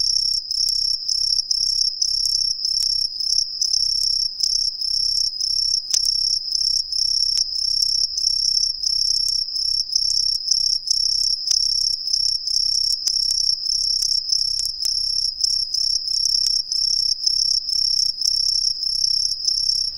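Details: Hidden in street trees in a residential area of Ehime, Japan, non-native green tree crickets sing a shrill, high-pitched chirping that repeats rapidly and steadily without pause.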